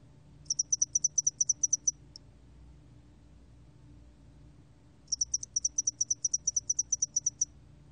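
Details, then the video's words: Spotted-wing hairy cricket song from a 2020 National Institute of Biological Resources recording: two bursts of high, shrill pulses, about seven per second, separated by roughly three seconds of quiet; faint low hum underneath. "점날개털귀뚜라미, 여러번 듣기, 곤충소리"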